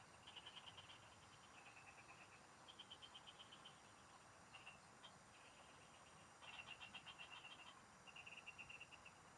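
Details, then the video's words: Frogs singing in the fields, recorded during fishing: loud bursts of fast pulsed notes from several callers, alternating and overlapping every second or two, over a faint high continuous whine. "Pikinggan mo Ang MGA huni Ng MGA Palaka SA bukid| Relaxing Frog Singing"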